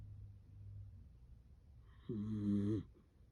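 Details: Sleeping Dachshund snoring with a human-like snore. The snore comes after snorting breaths: quiet low rumbling, then one loud, rough snore lasting under a second, in a quiet small room.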